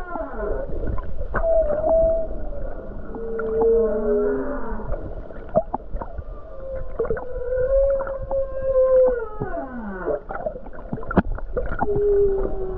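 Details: Humpback whale song off the Hawaii coast on a calm day with numerous whales nearby: long, wavering moans and tonal whoops that slide up and down, with low grunts beneath.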